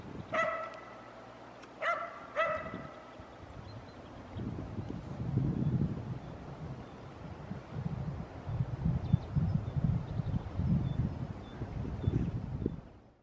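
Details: Shetland Sheepdogs playing on crusted snow in Joensuu, Finland, on 12 April 2020: three sharp, high barks in the first few seconds, then scuffling and trampling noise through the rest of the recording.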